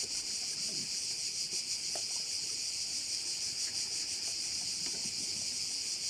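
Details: On Korčula island in Croatia, crickets by a bay produce a dense, unbroken high buzzing chorus with a gentle rapid throb, while faint low rustles sit underneath.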